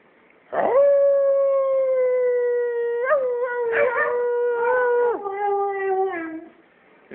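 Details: Female Siberian Husky, twelve years old, howling at home when her owners ask her to say good night: a long, level, tonal howl broken by short yelping breaks, then wavering, falling notes before stopping.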